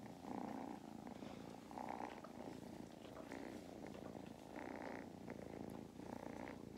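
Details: Continuous deep purring from two young domestic cats resting in a lap on a farm in County Kilkenny, Ireland, a machine-like drone with soft rhythmic pulses of breathing and faint handling rustles.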